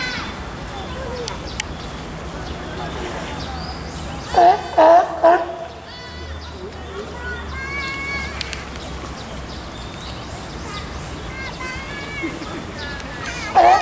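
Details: California sea lion pup about two weeks old, born 20 June, nursing at Tennoji Zoo in Osaka on 5 July 2014; three short, loud, harmonic bleating calls in quick succession, then one more at the end, over steady visitor chatter.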